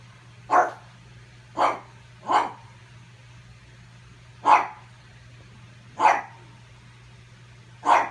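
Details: Pug dog barking at its reflection in an effort to steal its ball; six short sharp barks spaced irregularly, roughly one every second or so, with a constant low electrical hum underneath.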